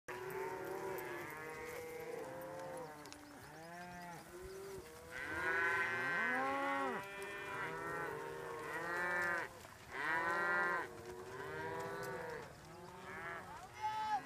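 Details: Herd of cows being moved by two border collies working to hand signals, voice commands and whistles: many overlapping moos and bellows, some rising then falling, called almost continuously by several animals at once.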